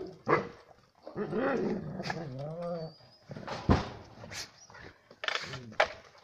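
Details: German Shepherd dog giving three short, sharp barks spaced a second or two apart, with a long wavering, whining vocalization that rises and falls in between; no other clear sounds.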